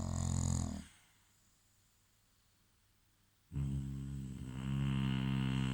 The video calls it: English bulldog snoring